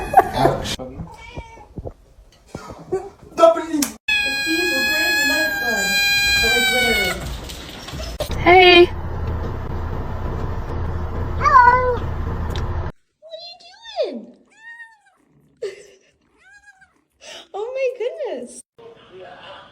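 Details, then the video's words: Domestic cat talking with a string of meows, including one long, steady, drawn-out yowl lasting about three seconds. Several shorter bent meows follow, with people's voices and indoor room noise in between. "funny cats talking"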